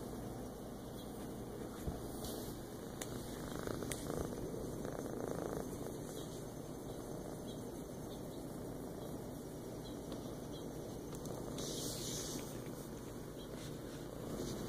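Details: Feral cat resting in a lap indoors on the kitchen floor one morning, 14 August 2014, giving an even, low, unbroken purr that stays quiet and continuous behind steady room hiss and an occasional faint click.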